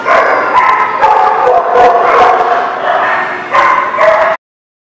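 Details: A crowd of dogs barks continuously, with bright yipping barks overlapping into a dense wall of sound that cuts off abruptly near the end.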